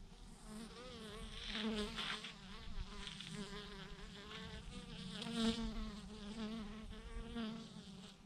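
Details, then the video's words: A massive clump of thousands of bees hangs from a branch, their droning buzz a steady, layered hum with bright overtones that rises slightly around the middle before settling. "thousands of BEES hanging on a branch in a massive clump"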